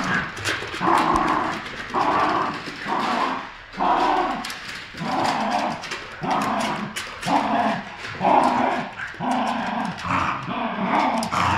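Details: A Poodle and a Terrier tugging at a new toy during play time, friends at heart: steady grumbling play growls pulsing roughly once a second, throaty and low, with short breaks for breath throughout.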